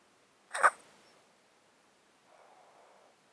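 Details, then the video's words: Domestic cat sleeping in a box, with a 13-year underlying disease that makes it snotty and sneezy, recorded close up: one sudden loud wet snort followed by a faint, drawn-out exhale. "Cat Breathing White Noise"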